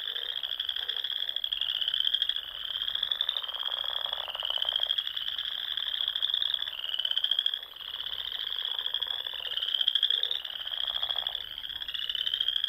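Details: Dusk frog chorus in spring from the dune ponds of Nebraska's Sandhills, a steady shrill trilling from numerous frogs rising and falling in loudness every few seconds, with occasional deeper croaks.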